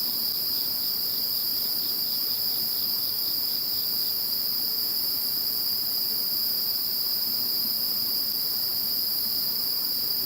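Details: Post-typhoon insect chorus following Typhoon No. 21: unbroken shrill trills in stacked high bands, with a brief pulsed chirping series in the first few seconds, over light background hiss.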